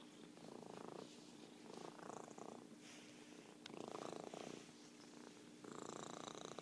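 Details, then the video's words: Merlin, a domestic orange tabby cat and champion purrer, purring indoors: rough, pulsing rumbles swell and fade in uneven waves roughly every second or two, with a faint steady hum underneath. "Virtual Purring Cat"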